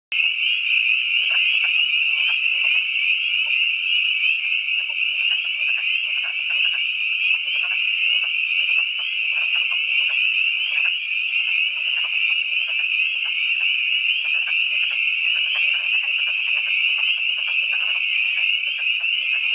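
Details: At twilight on March 11, 2012, in the Catoctin Mountains, Frederick County, Maryland, a dense spring peeper chorus merges into a steady shrill ring, with wood frogs' lower, rattling duck-like clucks throughout.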